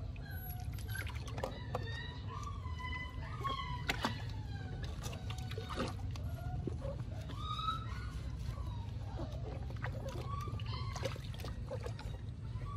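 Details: Two rescued stray puppies found living at a small cottage give high, thin whimpers that rise and fall, repeated in short bursts over a steady low rumble, with splashing and faint voices in the background.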